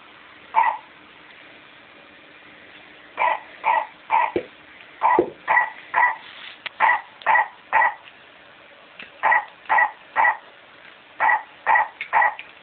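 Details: Pet dog attacking a toy: a single sharp bark, then quick runs of short, yappy, mid-pitched barks in clusters of two to four, around eighteen in all, over a quiet room.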